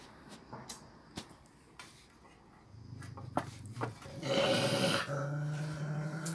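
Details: A female Rottweiler having a bad day, completely losing it: a low rumbling growl, then a loud harsh burst of barking and a sustained throaty snarl.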